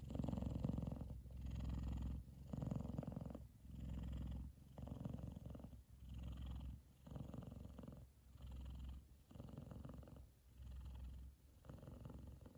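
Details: F2 Savannah cat Kumba purrs so loudly while both brothers sleep, Taj lying on his head; a strong low rumble pulsing in even breath-length bursts around once per second, with brief near-silent pauses between.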